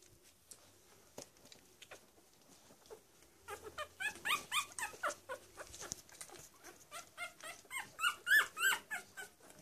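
Week-old Cavalier King Charles Spaniel puppies squeak and whimper in quick, high, repeated bursts.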